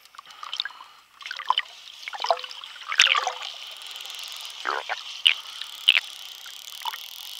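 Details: Spotted dolphins from a friendly Bahamas pod. Sharp click bursts and rasping buzzes sound over a held, piercing whistle tone. Several loud snaps punctuate the final seconds amid underwater hiss.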